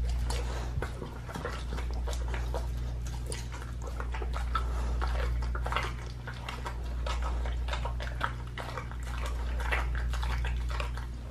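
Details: Pit bull eating a raw leg of lamb indoors, raw-fed, recorded close up: dense, irregular wet crunching and tearing bites, several per second, over a steady low hum.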